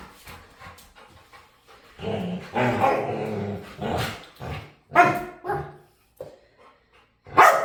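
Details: Dog begging to play: a groaning, growly whine rolls into a few sharp barks spaced about a second apart, then quiet before a last loud bark.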